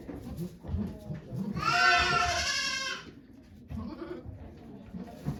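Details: At Yoshigake goat farm in Japan on 3 May 2023, the goat Okayu gives one long, trembling bleat of about a second and a half while giving birth to twins. Low voices and rustling fill the rest.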